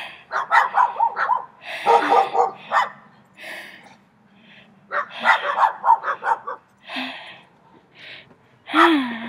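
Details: Loud barking from three dogs directed at the recordist: dense clusters of quick barks, a brief lull, then another barrage, with voices speaking in the background.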